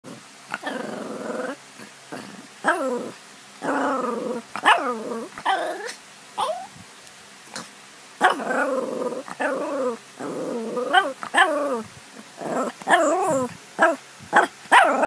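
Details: Shih Tzu doing 'baby talk': a long run of varied whining, groaning and growly vocal bursts, each rising and falling in pitch, in quick uneven phrases with short pauses, loudest toward the end.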